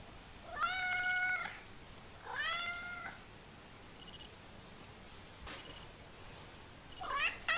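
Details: Kitten producing hilarious, odd noises, here two drawn-out, clear, even-pitched meows about two seconds apart, followed after a pause by a sharp click and a brief rising squeaky call at the end.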